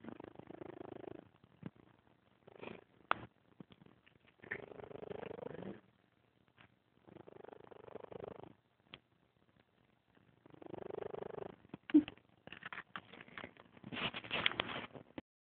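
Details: A 14-year-old grumpy cat named Scamper snoring loudly while asleep: several rough, rasping breath bursts spaced a few seconds apart, followed by scattered rustling and clicking handling noises toward the end.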